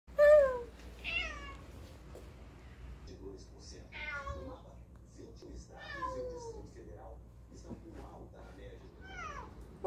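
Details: Domestic cat chatting with its humans indoors, answering in a run of short rising and falling meows, some bent and wavering, about eight calls over ten seconds, with a woman's soft Portuguese speech in between.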